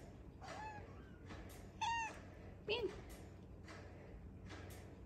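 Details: Kittens of Arty the cat, in a small room: two short, high, clear meows close together near the middle, the second bending downward, with human talking throughout.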